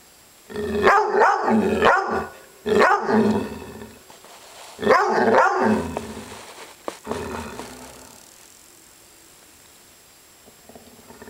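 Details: Maggie, an upset pet dog, growls in drawn-out harmonic bursts with rising, throaty vocal sweeps, three loud bouts in the first six seconds followed by quieter trailing sounds and near silence.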